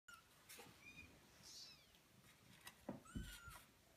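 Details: Kittens eighteen days old giving a few faint, thin, high mews, some rising then falling, scattered among soft rustling and low thumps of movement.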